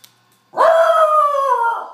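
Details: A Basenji, one of two playing on a couch, gives a single drawn-out, yodel-like tone that starts sharply and slowly falls away.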